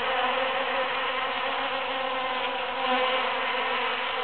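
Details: Bees busily working huge cactus flowers just after the June 22, 2013 Super-Full Moon, filling the air with a continuous, even drone of overlapping wingbeats.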